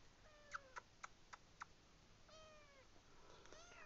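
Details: Tonkinese kittens squeezed together indoors with an older sister: thin high meows, one drawn-out at the start, a longer falling meow midway and overlapping cries at the end, broken by five sharp clicking taps.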